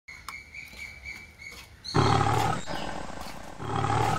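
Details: Lions in a zoo give deep, rasping roars, loud and throaty, swelling from a low rumble.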